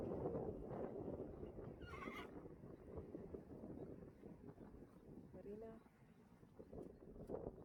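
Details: Friesian horses at their home stable while the mare Marina is collected by her new owners. A brief high whinny sounds near two seconds, then a wavering, quavering neigh about three seconds later, over voices, hoof clip-clop and rustling.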